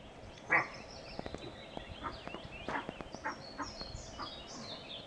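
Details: A roe deer leaping across a barley field in southern Sweden, early morning, 28 May 2012, gives one loud, harsh, gruff bark; hooves strike frosty ground, with faint clicks and thin bird chirps behind.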